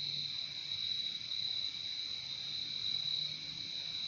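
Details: A bright, unbroken cricket trill dominates, even and high-pitched, with a quiet low droning hum running faintly beneath it.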